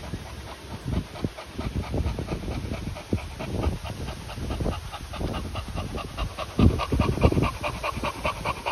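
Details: Continental Bulldog panting, with Rita, a 10-month-old female, welcoming her 2-month-old little brother Sumo in Switzerland-bred line. Fast, rhythmic breathy pants repeat steadily throughout, over low thumps and handling noise.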